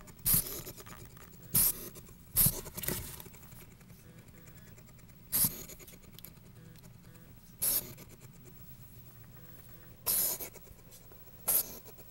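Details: On day two in a new home, Zeke the hedgehog, wary of his new owners and surroundings, huffs out a series of brief, harsh, puffing hisses at irregular intervals, with faint scratching and rustling between them indoors.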